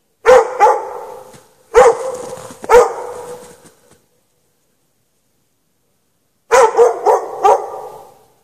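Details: Dog chained outside in the snow without shelter at night, between 8 and 11:30 PM; loud, sharp barks in two bursts, three barks then a pause of several seconds, then four quick barks, each with a ringing echoing tail.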